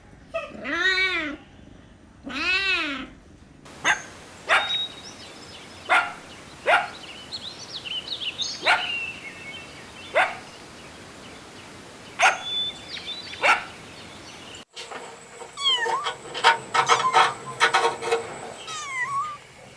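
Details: Kittens at play with pine cones on green grass outside: two drawn-out wavering meows open, then many sharp clicks and rustling taps, with a few thin squeaks near the end.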